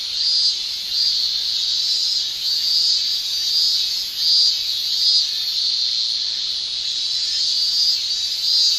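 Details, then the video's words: Male Japanese cicadas singing in summer with their tymbals: a continuous high shrill drone with rhythmic pulsing swells roughly every second or so, no other clear sounds. "Japan Summer Cicada Shrilling"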